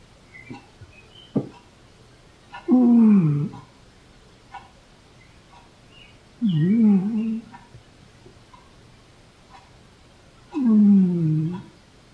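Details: Sleeping noises from Velcro, a female cat growing older: three wavering, tonal groans, each about a second long with a bending pitch, spaced about four seconds apart, with faint soft clicks and breaths in between, indoors.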